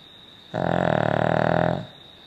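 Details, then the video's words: A Cavalier King Charles Spaniel named Poppy snores once for over a second, a coarse, vibrating rasp with a low rumbling core, set against a steady faint hum in an otherwise quiet room. "Poppy snoring"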